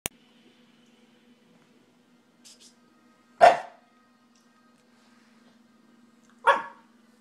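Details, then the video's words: Nobu, a Shiba Inu, vocalizing to his foster dad: two short, sharp barks about three seconds apart over a steady low hum, with a faint higher sound just before the first. "Nobu talks to his foster dad"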